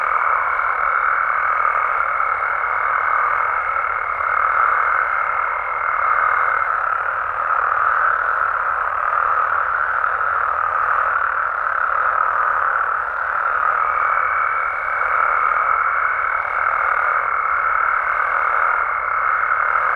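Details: Nighttime chorus of Mexican frogs and toads in the wild, a thick continuous wash of overlapping croaks at middle pitch, with a faint steady high tone present early, dropping out, then returning after the midpoint.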